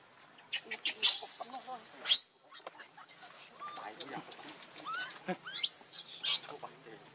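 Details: Hungry baby monkey Leo crying to beg milk from its mother: loud piercing screeches with sweeping arched pitch, several drawn-out wails in quick succession, separated by short pauses and soft handling noise.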